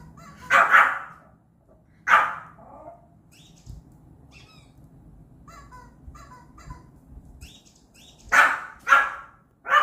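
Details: Indoor Pomeranian barking at an odd noise coming from the television: a double bark, a lone bark, scattered faint chirping electronic sounds, then two more sharp barks close together near the end.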